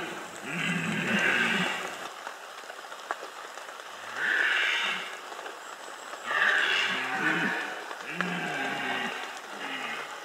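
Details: Red deer roaring in the 2015 Bieszczady rut, a series of four or five harsh, groaning bellows of about a second each, separated by short pauses, with rain hiss behind.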